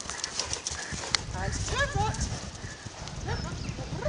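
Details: Arradoul Aria, a 4-year-old Clydesdale mare under saddle in the riding school, 22 days after first wearing bridle and saddle. Steady low thudding hoofbeats, several per second, under a rider's voice repeatedly praising her.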